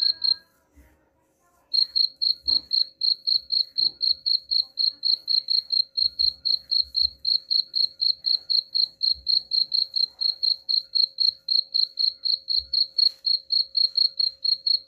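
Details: Cricket chirping for repelling rats: a short burst, a pause of over a second, then a sustained, metronomic series of shrill chirps about four each second, with occasional dull low thuds behind.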